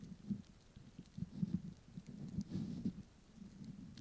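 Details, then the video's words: A Pomeranian eating a snack, recorded close up: soft, low crunching and chewing in irregular bursts, with quiet pauses between bites. "Eating My Snack ASMR Edition"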